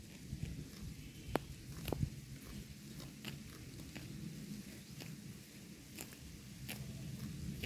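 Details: A herd of cows grazing on grass in a pasture: soft, irregular munching and tearing sounds, with occasional sharp clicks and a low rumbling background.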